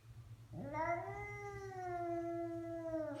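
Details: House cat making a strange noise: one sustained, nasal caterwaul-like meow that rises sharply, then holds steady and slowly sags over about three seconds, with a low background hum.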